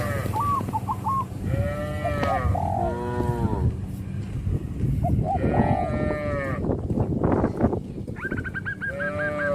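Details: Herd of tame traditional village cattle calling to companions, animals that walk to green pasture each morning and back to the pen in the evening; deep harmonic moos rise and fall in several bouts, with a quick series of higher honking notes mixed in.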